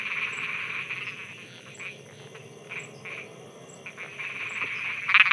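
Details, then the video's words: Frogs croaking at night in Thailand: a buzzy, pulsed chorus swells and fades in short bursts, with a faint, steady high ticking repeated through the background and a louder burst at the end. "Thailand Night Frogs Soundscape"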